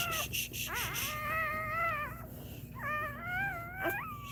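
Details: Indoor crying from a Cane Corso during a litter's labour, not the mother Cashmere: drawn-out, quavering whimpers that swoop up and sag, two long cries back to back after short yelps, over a low steady hum.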